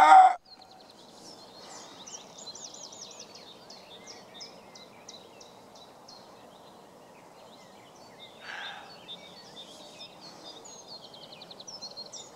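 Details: Roe deer buck barking back at a person who barks at it: a loud, abrupt harsh bark at the very start, then quiet twittering songbirds, and one more hoarse bark some eight seconds later.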